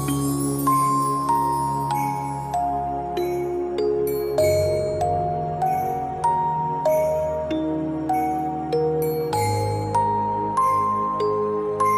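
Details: Gentle glockenspiel-style music plays, with bright mallet notes stepping up and down over a steady low bass and no animal sound.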